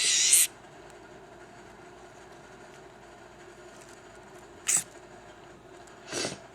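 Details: Newly hatched baby leopard gecko screaming and lunging defensively when touched: three short, harsh, hissy bursts, the first about half a second long, then two brief ones near the end, separated by quiet room hum.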